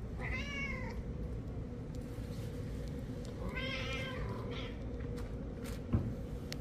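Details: Pet cat meowing twice, each call under a second with a bright, slightly arched harmonic tone, spaced about three seconds apart over a steady low hum, with a small knock near the end.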